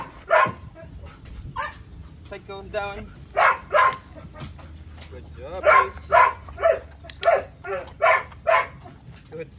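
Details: Psycho, a male Belgian Malinois, during a training session: a handler talks, then sharp barks begin, first in a pair and then in a quicker irregular run of short, loud barks toward the end.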